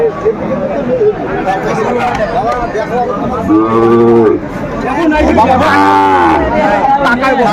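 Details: Sahiwal bulls for sale at a busy Dhaka cattle market, Bangladesh, 26 December 2024. Two low, drawn-out moos come a second apart, the second longer and stronger, over constant human chatter and haggling.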